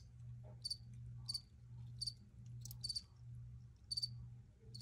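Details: Crickets chirping in short, high, bright bursts, often doubled, recurring roughly every half to one second over a steady low hum.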